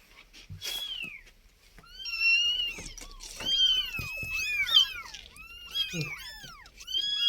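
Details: Indoor cats, a mother moving her kittens: many overlapping high, thin mews that arch up and fall, crowding together, with a woman talking softly just before.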